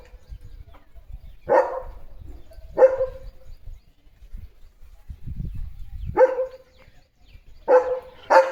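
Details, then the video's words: Domestic German Shepherd barking in a yard: separate loud barks spaced one to three seconds apart, about five in all, the last two close together, over a quiet low rumble. "The German Shepherd ची भुंकण यंत्रणा सुरू"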